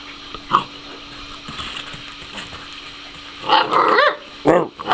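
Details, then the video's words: Mastiff puppies, two months old, filmed in Chillán, Chile: quiet at first, then a burst of harsh growling yaps around three and a half seconds and another short bark near the end, over a constant low hum. "mastiffs 2 meses"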